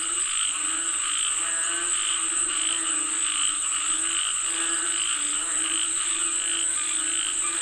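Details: A chorus of frogs calling for rain, the harmonic croaks repeating about seventy-seven times a minute, with a constant shrill insect-like drone behind them.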